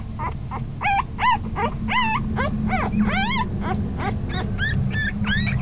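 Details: Whimpering puppy at ten days of age, becoming lively, producing a continuous run of loud high squeals and whines, several with bending, wavering pitch, about three per second, over a constant low hum.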